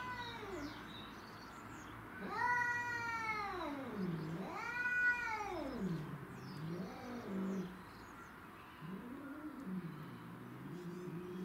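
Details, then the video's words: Domestic shorthair cats fighting to defend territory: two arching, drawn-out yowls in succession, each rising and then dropping into a growl, followed by shorter wavering moans and low grumbling. "Craziest Cat Fight Compilation Video"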